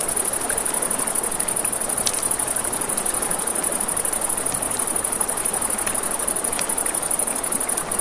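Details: Crickets at night by a river beside a campfire: a steady, rapidly pulsing high-pitched trill runs through the whole stretch over the broad rush of flowing water, with sharp crackles and pops from the burning fire.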